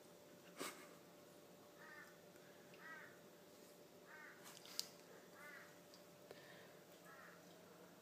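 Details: Ten-month-old Tonkinese kitten at home, asserting himself over the household's four-year-old German Shepherd: a faint run of short, clean, slightly arching meows, roughly one per second, over a quiet room hum with a couple of sharp clicks.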